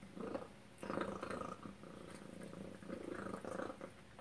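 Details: Rumbling purr from Tacy, a pet cat, during suppertime with chicken and duck food, swelling and fading in rhythmic bursts, with faint clicks between them.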